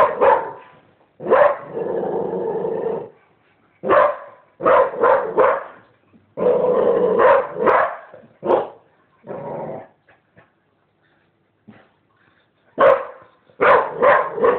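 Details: Sharp barks from a female dog alternate with long, low, rumbling growls lasting up to two seconds. After a quiet gap near the middle, a rapid triple bark follows.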